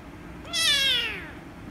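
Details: Single loud, strained meow from an angry rescue kitten reacting to petting, sharp onset, high and bright, gliding down in pitch before trailing off.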